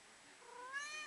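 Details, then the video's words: Fuzzy, a female kitten, answering her owner during a back-and-forth: a quiet, thin meow that starts faint and slides steadily upward in pitch, with a faint background hiss. "My Kitten Fuzzy Talking Back to Me"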